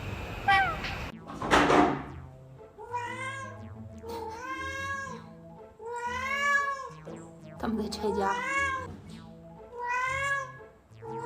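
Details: Yuanbao, a pet cat, calling insistently for more food in the early morning right after eating. Several evenly spaced, arching meows repeat about every second, with quiet background music and a brief rustle at the start.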